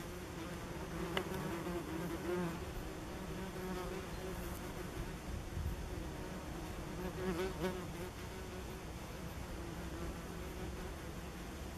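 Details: Common wasp (Vespula vulgaris) nest beneath tree roots along a woodland path, recorded August and September 2015; a continuous low buzzing drone with faint overtones, fluctuating gently in loudness, with a few brief clicks.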